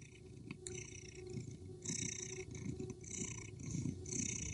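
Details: Male Persian cat chasing a female street cat that fights back aggressively; low, rough, rumbling growls pulse unevenly throughout, with hissy, noisy bursts in the upper range.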